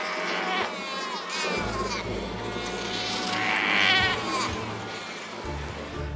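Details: A crowded Australian fur seal colony on an island: many wavering, bleating yells overlap, females calling to their pups and males yelling at each other, each voice unique to its seal, with background music.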